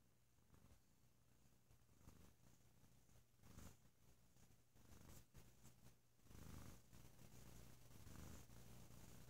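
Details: Sleepy male cat purring loudly and deeply on a lazy holiday weekend indoors; a quiet, low, continuous rumble with faint rustling and swelling louder in the last few seconds.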